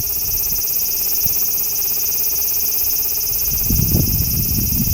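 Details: Singing large brown cicada concealed beneath a loquat tree branch; a droning, metallic sizzle continues without pause, with a burst of low rumbling noise near the end.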